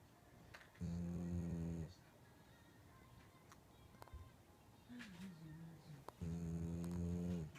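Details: Shiba Inu asleep and snoring. Two steady, low rasping snores of about one second come some five seconds apart, and a faint short whine-like sound falls between them.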